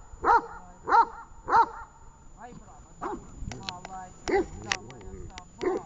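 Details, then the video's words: Training session with the dog Tash in Horlivka, 18 August 2019: three loud barks at an even pace, then quieter barks mixed with a person talking and sharp clicks. "Таш .тренинг 18,08,19 Горловка"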